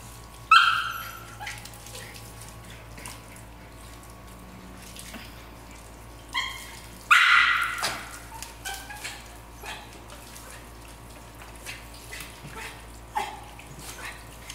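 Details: Norfolk Terriers at pool play, a few scattered sharp barks, a loud one near the middle and others at the start and end, with splashing, steady background hum and occasional human voices.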